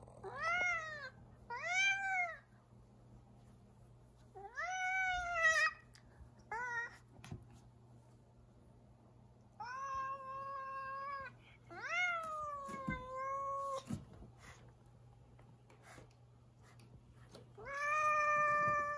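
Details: Irritated house cat refusing to let someone pass in the kitchen, indoors; a series of short rising meows followed by longer, sustained, slightly falling yowls, separated by quiet gaps, steady low electrical hum beneath.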